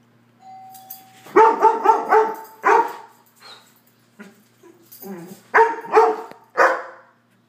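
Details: Two friendly, well-trained Standard Poodles give loud, deep warning barks in quick bursts of three or four, pausing between volleys, letting visitors know they need permission to come in.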